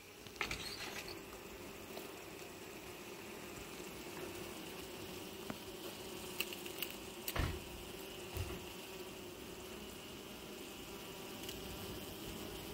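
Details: A swarm of western honey bees being collected in Cerny on 14 April, a large quantity of bees, gives a dense, steady, low droning hum with occasional knocks and handling noises; finding: Western honey bee.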